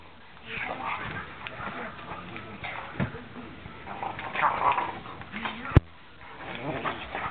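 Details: Two Great Danes playing together, giving rough, grumbling growls and snorts in irregular bursts, with a sharp knock near the end and some human voices in the background.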